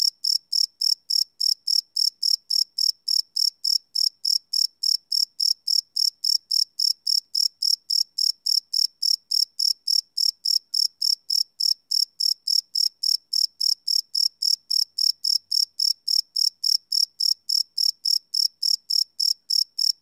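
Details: Long run of cricket chirps at night, recorded live without loops on a Sony PCM D100 field recorder; a piercing chirp repeats steadily around three and a half times per second throughout, silent background.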